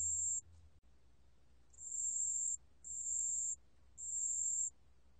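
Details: High, pure ringing song of a pale bell cricket from the National Institute of Biological Resources, 2020: a short opening note, a pause of over a second, then three longer bell-like tones in steady succession.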